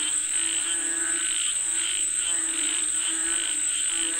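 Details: Short burst of a frog chorus calling for rain: throaty, pulsing croaks swell and dip in quick waves over a steady, piercing insect buzz.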